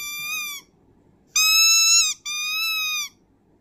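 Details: Dog howling in long, steady, high-pitched notes, three drawn-out tones with a short break between the last two, each held level with a slight dip at the end; quiet background.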